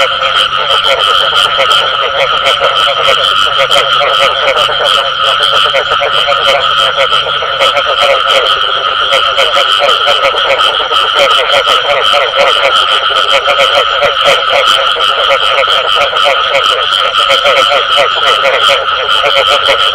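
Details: Frogs calling in the call style known locally as bù tọt: a dense, continuous pulsed croaking chorus with steady rapid throbbing that never stops, loud and unbroken for the full length, with no other clear sounds.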